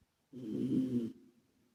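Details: A sleeping male rescue British Shorthair named Calmo gives a single drawn-out rasping snore lasting about eight tenths of a second, deep and grainy, with an echo effect lengthening its fade into silence.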